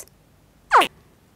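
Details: A spectacled caiman (Caiman crocodilus) gives a single short, harsh contact cry that sweeps quickly downward, used to keep contact with others.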